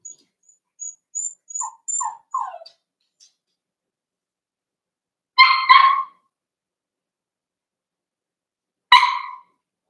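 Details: Young Cavalier King Charles Spaniels, three littermates born 9 June 2022, overnight on 27 August: four short, falling whimpers in quick succession, then two sharper harmonic yelps three seconds apart, with faint high squeaks early on.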